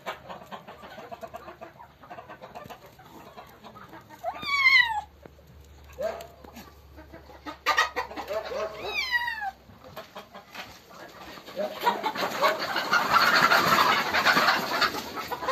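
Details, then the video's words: Black-and-white kitten, found hiding with another kitten and caught by the tail, struggling and distressed; two strained, harmonic meows near the fifth and ninth seconds, each sliding down, among soft clucking from farm fowl, with rustling handling noise at the end. "Cute Kitten Found Hiding , roaring & meowing when I caught it."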